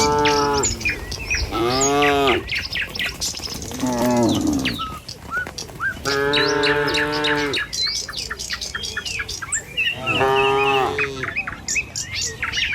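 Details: Herd of tame cattle crossing a village road on their morning walk to the pen, Indonesia. Loud, sustained moos of about a second each recur through the clip, with busy birdsong chirping behind them.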